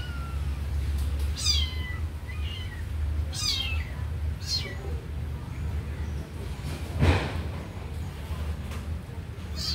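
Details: Kitten meowing indoors while watching a puppy sleep: about five high, thin mews, each sliding sharply downward in pitch, spaced irregularly a second or two apart, one louder and stronger near the end, over a steady low hum.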